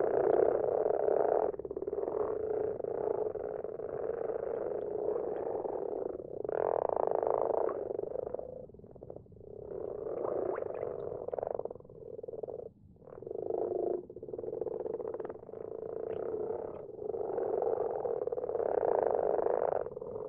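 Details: Night recording of many common frogs calling in a garden pond; soft grunting, purring croaks pile into an unbroken chorus that swells and fades in waves, with brief lulls around the middle.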